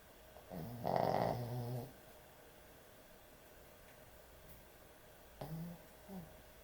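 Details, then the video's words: Puppy sound asleep, snoring hard: one loud, rattling snore of about a second, then a quiet stretch and two short, soft snorts near the end. "코골이 강아지의 취침시간"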